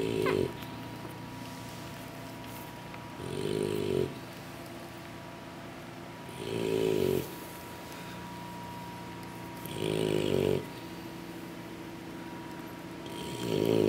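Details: Sleeping English Bulldog puppies, tired after feeding from their mother, snore in slow rasping breaths, four loud inhalations about three seconds apart over a low steady hum.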